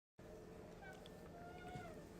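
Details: Alfy, a pet cat, wanting to go back outside; a long, faint, drawn-out meow with a wavering tone that rises and then slowly falls, set against steady low indoor rumble.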